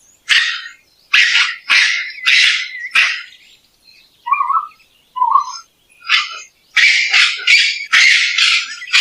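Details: Raccoon giving a quick series of short, harsh, scratchy screeches, about two a second, broken midway by a few soft low chirps before the rapid rasping returns.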